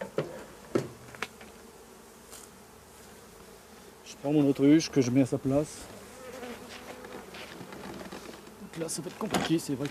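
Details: Laying worker honey bees shaken from the frames of a drone-laying colony about fifty metres from the hives; a loud wavering buzz swells in the middle as a bee flies close by, with another burst near the end.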